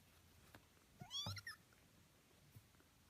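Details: Kittens at eighteen days of age; one short rising-then-falling high mew, briefly, amid quiet background hum.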